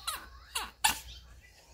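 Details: Kkami, a 1.7 kg female Chihuahua born in 2018, whines indoors to ask for what she wants and to keep her toy doll: three short, high, wavering whimpers that slide downward, the last one sharpest.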